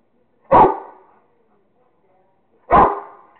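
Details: Kingston, a Rottweiler, playing with a squirrel and giving two loud, deep single barks about two seconds apart, with quiet between them.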